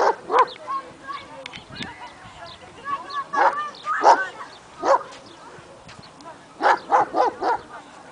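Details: Male German Shepherd barking at a stray dog; rapid excited yelping barks in irregular bursts, some whimpering tones, with a voice faintly mixed in.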